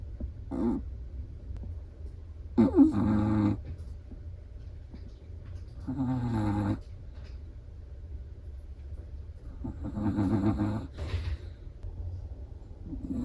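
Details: Sleeping Chihuahua snoring: soft, throaty rasping bursts about every three to four seconds over a steady low rumble, each snore a short buzzy breath with a faint whistle at the end.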